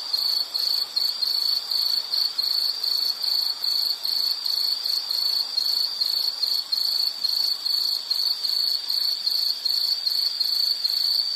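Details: Insect chorus played as a calming nature sound: a steady, high, shrill pulsing chirp repeated about two to three times per second, with a fainter high buzz above and soft background hiss.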